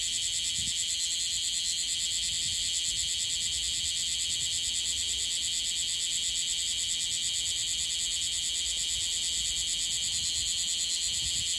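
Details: Bear cicada, freshly emerged and possibly on its first day, singing in Okinawa with an unstable song: a harsh, dense, high buzz pulsing about three times a second without pause.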